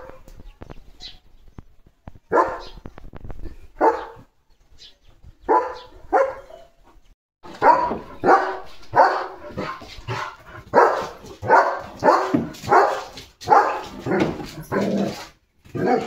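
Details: Leo, a German Shepherd being given a bath, barks in short, loud bursts, scattered at first and then repeating about once a second in a steady run, with a person talking in between.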